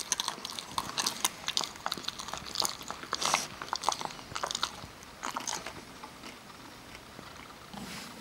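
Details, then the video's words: Parker the Kerry Beagle crunching almonds: rapid bursts of hard biting and chewing in the first five seconds, then quieter, slower mastication fading out. "kerry beagle eating almonds"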